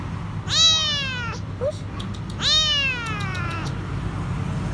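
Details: Stray kitten, alone and afraid, begging for food from beneath a food truck outside a grocery store; two long, descending, harmonic-rich meows roughly two seconds apart, a faint short squeak between them, constant low outdoor rumble.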